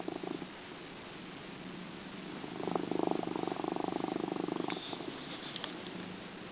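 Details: Domestic cat asleep, purring and snoring loudly: a single swelling raspy rumble of about two seconds, with a faint click near the end and quiet breathing around it.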